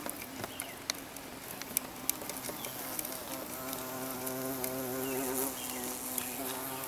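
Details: Carpenter bee buzzing in a steady low drone with stacked harmonic bands, growing gradually louder, with scattered sharp clicks and taps throughout.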